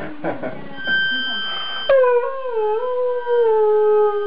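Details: Afghan hound singing to a harmonica and seeming happy with its howling: brief harmonica notes and voices, then a long, steady, mid-pitched howl that dips slightly and holds for over two seconds, with a thin harmonica tone behind it.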